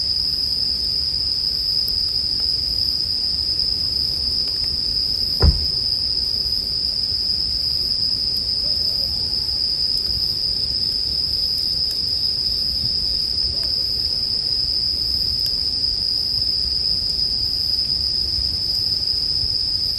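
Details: Bell crickets singing as a bonfire burns, arranged for sleep; an unbroken high-pitched ringing drone dominates, with faint fire crackle beneath and one loud sharp pop from the flames midway.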